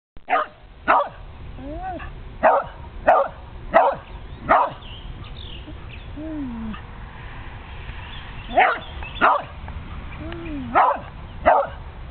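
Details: An old Karelian Bear Dog barks at a turtle passing through, giving sharp, ringing barks in quick bursts with soft whines in between.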